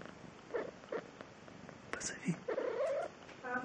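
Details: Domestic cat Anfisa answering her owner's calls: short soft meows, then a longer rising, wavering meow near the end, with a woman's voice calling the cat's name between the calls.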